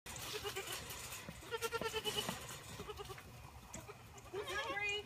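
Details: Orphaned Boer goat kids being bottle-fed together from a six-bottle wooden feeder, recorded on an iPhone set on a gate: a series of quavering, repeated bleats, several in quick succession, with a woman speaking softly and feeding clatter.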